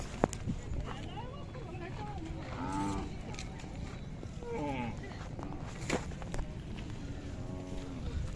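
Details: Low mooing from Khillar cattle at the Athani fair in Belagavi district, April 2024, with young and large bulls present: several short lowing calls with rich harmonics come in bursts, over continuous crowd murmur, men talking and occasional clatter.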